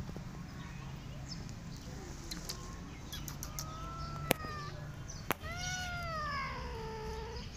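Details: Rescue mother cat together with her kittens: a short arched meow, then a longer, drawn-out meow with rich harmonics that rises and slowly falls, over a steady low hum and a couple of sharp clicks.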